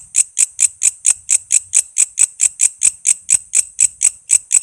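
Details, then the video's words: Walang kece katydid sound meant for training songbirds such as murai and lovebird: an unbroken run of crisp, shrill clicking chirps, evenly spaced at just over two per second. "Suara walang kece gacor buat masteran murai,love bird,cucak ijo,kacer dan burung ocehan lainya"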